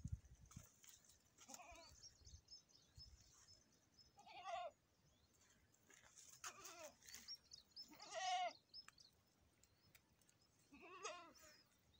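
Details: Goat during a premature birth, giving repeated wavering, quavering bleats roughly every two seconds, each about half a second long, against quiet background rustle.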